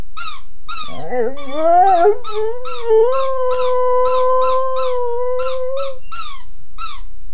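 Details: Puppy howling because it wants its toy: a drawn-out howl that climbs from a low wavering start, then holds a steady tone for about three seconds, over a rapid series of short, high, squeaky pulses repeated throughout.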